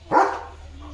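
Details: German Shepherd named Leo, a pet dog, outdoors under gathering dark rain clouds after running off on seeing another dog; one short, loud, rough bark, with a low steady hum behind it.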